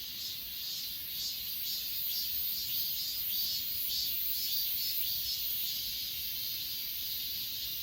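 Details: Insects chirping at Achasan mountain in Korea, filmed on a phone: a dense high chorus with soft chirps pulsing about twice a second over a steady shrill hiss.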